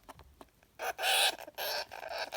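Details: A Syrian hamster screams in two harsh, raspy bursts, an angry outburst; its owner attributes the odd noises to anger issues.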